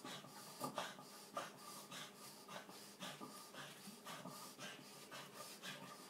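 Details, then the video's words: Piper, a two-year-old Boston terrier with epilepsy, during one of seven seizures within three hours one night, filmed for the vet; harsh rasping breaths pulse roughly twice a second, noisy and irregular, with a person saying the dog's name. "Violent dog seizure"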